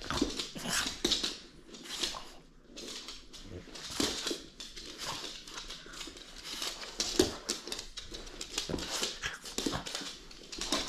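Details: French Bulldog at play indoors, refusing to give up a toy; rapid breathy snorts and huffs in dense bursts throughout, with scuffling and handling noises in a small room.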